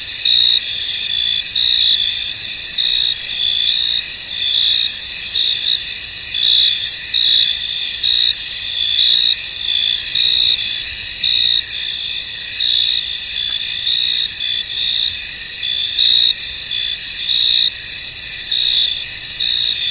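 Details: Field crickets singing in fog over a misty meadow, a thick wall of high, shrill trilling that never stops, overlaid with louder chirp bursts about once a second; nothing else stands out.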